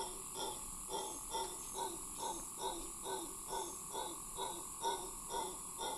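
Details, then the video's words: Long howl of a howler monkey at Cahuita Park, Costa Rica: a regular series of hoarse, roaring grunts, roughly two per second, moderately distant, with a constant shrill insect-like drone behind. "Long howl by howler monkey"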